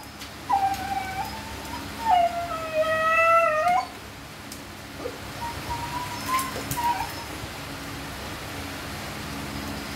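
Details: Siberian Husky vocalizing during natural mating: two clear whining howls early on, the second longer and dipping slightly before cutting off, then a fainter, thin whine later over a steady background hiss.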